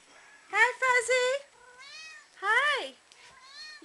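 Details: Female kitten talking back to its owner: a drawn-out, steady meow lasting about a second, then a louder meow that rises and falls, followed by a soft, thin whine trailing off.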